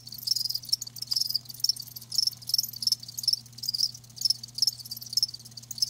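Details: Live crickets chirping in regular high-pitched bursts roughly twice a second, each a rapid pulsed trill, alongside a quiet low hum.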